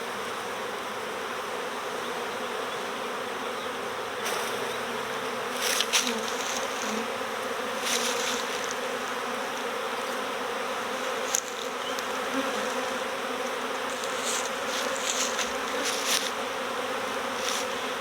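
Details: Lots of honeybees fanning as a swarm flows into a recovery box, remaining cluster in a bush nearby: a constant broad drone of many wings, punctuated by short louder buzzes from bees flying close past.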